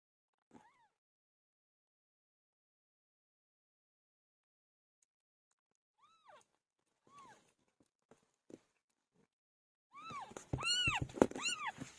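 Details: Pet cat Pilo after giving birth: mostly quiet with a few soft isolated meows, ending in a loud, rapid burst of high, strongly arched meows in close succession.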